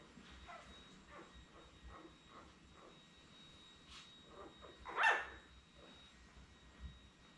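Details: Indoor puppy cam on 30 May: a litter of seven Labrador Retriever puppies born May 24, 2021, resting beside their mother Belle at nap time; soft murmurs, then one sharp, louder yelp midway over a low constant hum.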